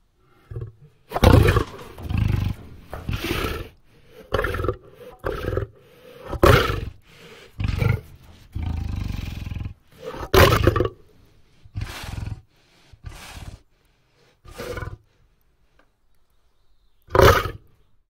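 A lion gives a series of deep, rough roars and grunts, each burst lasting about a second.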